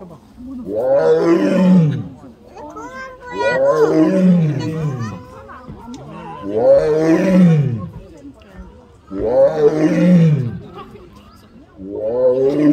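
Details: At Seoul Grand Park zoo on 18 November 2022, a tiger cries loudly between bouts of exercise. It gives five drawn-out, arched moaning roars at a steady rhythm, one roughly every three seconds. Quiet music plays underneath.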